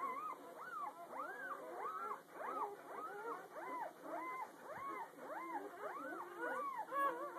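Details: Newborn puppies under one day old, the litter heard the morning after birth, crying in rapid repeated arched squeals, nearly two per second, several pups overlapping in a continuous chorus.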